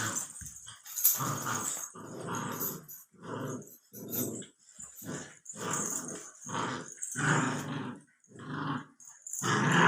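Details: Sixty-four-day-old Labrador Retriever puppy in a small room, giving a series of rough, low growls in roughly one-second bursts, repeated steadily with brief gaps between them.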